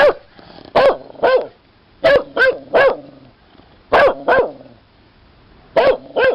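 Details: Dog barking loudly in short clusters of two or three sharp barks, the clusters spaced about a second or more apart.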